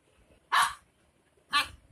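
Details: Dog barking: two sharp, loud single barks about one second apart, a third starting at the very end, with near silence between.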